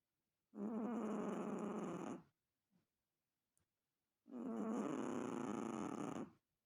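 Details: A Chihuahua snores in two long, gravelly, buzzing breaths nearly two seconds each, with faint small sounds in the quiet gap between them.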